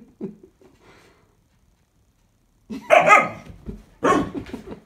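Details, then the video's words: Restless, overtired female Standard Poodle puppy aged 16 weeks, protesting bedtime in a small room: soft muffled grumbles, a pause, then two loud sharp barks roughly a second apart. "Standard poodle puppy has a lot to say about bedtime…then storms out of room."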